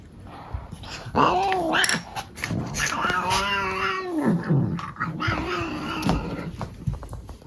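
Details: Male pet cat grumbling while his owners brush him indoors: a series of drawn-out, moaning yowls with rich overtones, one bending upward and sliding back down, separated by short pauses, with brushing rustles and faint voices.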